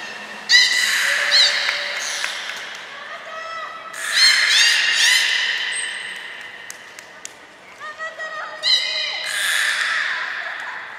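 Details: Captive belugas Hodoi, Taanya and Mirai at a training session, Port of Nagoya Public Aquarium, 1 November 2020, giving overlapping buzzy harmonic calls and short steady whistles in several bursts, with clicking pulses between them.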